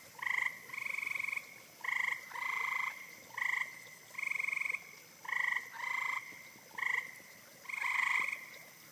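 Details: Spring chorus of eastern gray treefrogs (Hyla versicolor) in Rothrock Forest, Pennsylvania, 2013: short and longer rattling, bird-like trills alternate rapidly, about ten bursts in nine seconds, over a quiet forest background.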